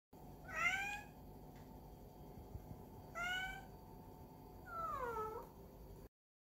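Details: A cat gives three voiced yawns, each a whining, squeaky vocal sweep. The first two rise and the last slides downward. They come about two seconds apart in a quiet indoor setting.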